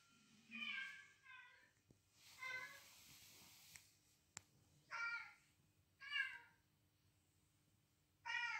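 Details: Cat meows as Kitty, a female house cat, reacts to cat calls played indoors and pursues the unseen intruders to defend her territory. There are five harmonic, wavering meows of varied length spread across the stretch, with faint room noise between them.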